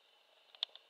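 A grey bush-cricket gives a thin, high, steady buzz broken by a few sharp ticks.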